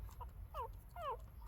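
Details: About three-day-old female puppies, newborn, whining as they try to get milk from their mother; two thin, falling squeaks about half a second apart against low room hum.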